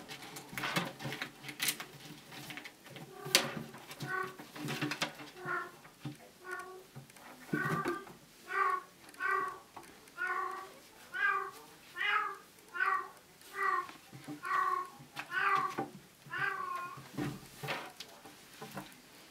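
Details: Bengal cat Bella, a mother with kittens, in heat and singing her special song indoors; a steady series of tonal, harmonic mews, roughly one per second, grows louder and more regular in the second half, with light clicks and knocks early on.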